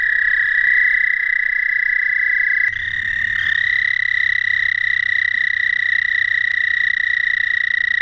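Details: Male American toads calling to females on an early-April spring night in Shawnee National Forest, Southern Illinois, giving long, steady, high musical trills that overlap into one continuous ringing drone.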